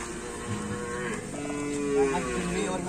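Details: Cattle from an Indonesian karapan sapi (bull racing) team giving drawn-out, droning moos that waver and slide slightly in pitch, with background music playing throughout.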